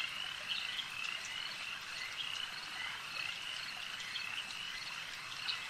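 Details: At a lake, frogs keep up a high, fast-pulsed chorus, with a few clearer sharp chirps every second or so riding over the steady background trill.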